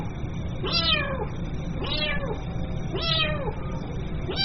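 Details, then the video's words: Kitten calling its mother: three high, arched meows with rising then falling harmonics, about one per second, over a steady low background hum. "SUARA ANAK KUCING MEMANGGIL INDUKNYA"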